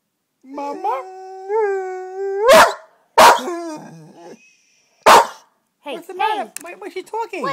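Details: Pet dog 'talking' to its owners for attention or to be let out. A rising, wavering howl is followed by sharp barks, then choppy, yodel-like vocal bursts, with a person speaking nearby.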